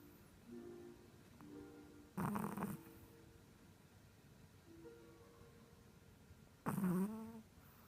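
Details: Chihuahua lying on its back in sleep, producing human-like snores: two short, rough, low snorting breaths about four and a half seconds apart, the second ending in a slight falling whine, with soft faint tones in between.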